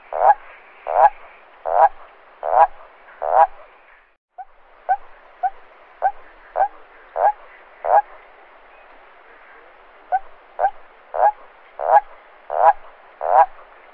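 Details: Toad calling at night: a series of short, gurgling croaks repeated about once every 0.7 seconds, with a brief pause after four seconds before the run of calls resumes, against a quiet background.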